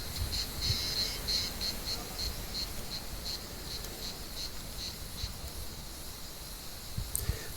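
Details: As evening light fades, cicadas call in an olive tree being hunted by cats. A high buzz pulses rhythmically about three times per second at first, then settles into a steadier drone over soft outdoor noise.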